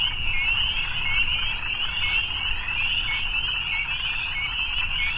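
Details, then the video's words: Frogs calling together on an evening, their rapid high trills blending into a constant shrill drone, with a light low-pitched rumble in the background. "Evening Frogs"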